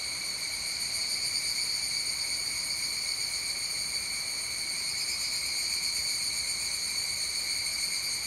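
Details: A chorus of evening cicadas sings at 19:12 on Wednesday 29 July 2020, a steady, high, metallic ringing drone with a fine pulsing texture and no other voices standing out.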